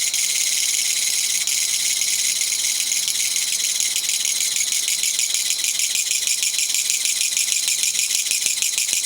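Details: Japanese katydid, called gachagacha locally, singing in a garden on 20 September 2014 after being released there, likely the one that flew into the living room three days earlier; dense, loud, continuous high rattling buzz with rapid pulses, unbroken throughout.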